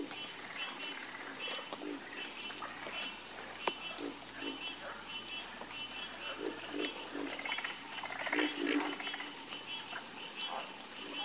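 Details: Night chorus of frogs: many overlapping croaks and clicking pulses come in irregular bursts, some louder near the end, over a constant high-pitched insect drone.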